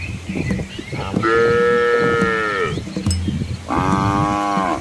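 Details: Asian village cattle walking with calves along a countryside road; two sustained moos, the first long and slowly falling at its end, the second rising in strength near the close, over faint low background noise.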